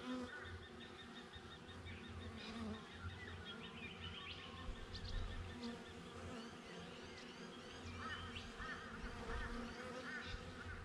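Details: Honey bees at a beehive, recorded with a GoPro set up just outside the hive: a steady low droning hum runs throughout, with chattering, honk-like bird calls repeating in bursts above it.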